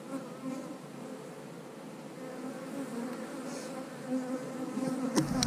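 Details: Steady buzzing of a honey bee colony in an eight-frame hive under inspection; a low, slightly pulsing hum with an overtone haze, closing with a couple of sharp clacks from the frames.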